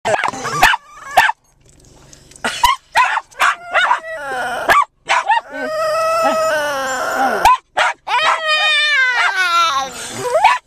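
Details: Chey, a rescued 7 lb male Japanese Chin, sits on a lap in a parked car before a long park walk and excitedly "talks" to be let out: wavering, yodel-like whines rising and falling, after sharp repeated barks from two other dogs.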